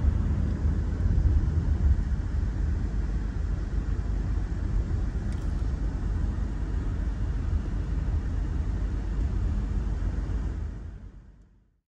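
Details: A heavy, continuous vehicle rumble fills the recording before fading out near the end, with no animal voice heard.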